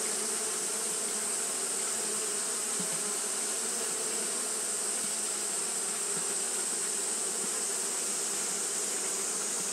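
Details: Steady colony hum from Japanese honey bees fanning through a hot day: a thick, even buzz that never pauses, with a bright constant hiss riding high above it.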